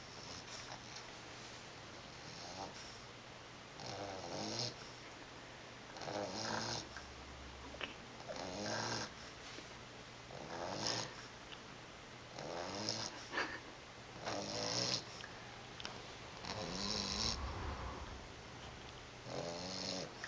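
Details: Sleeping 11-week-old English Bulldog pup named Monty snoring steadily: rattling, throaty snores repeated roughly every two seconds, each a buzzy rasp, in a quiet indoor room.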